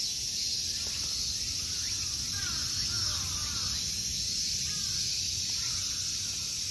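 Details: In summer at Ikegami Honmonji's temple grounds, Tokyo, Japan, an unbroken, bright, hissing insect drone fills the air, while quiet, short, downslurred bird calls come and go behind it.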